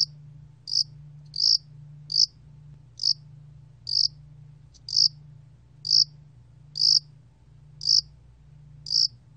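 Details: Yasan-allak cricket, 2020 National Institute of Biological Resources recording, singing a series of clear high chirps at about one per second, some slightly longer than others, with a constant low hum in the background.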